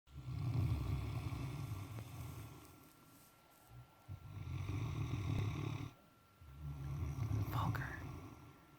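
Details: An exhausted male Great Dane snores in deep, rumbling breaths, each lasting about two seconds.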